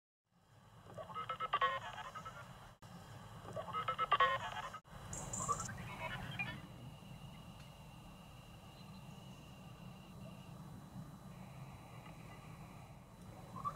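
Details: Greater horseshoe bats (Rhinolophus ferrumequinum) echolocating as they emerge from a Sussex maternity roost, brought down to hearing range as two warbling, tonal bursts over a low hum.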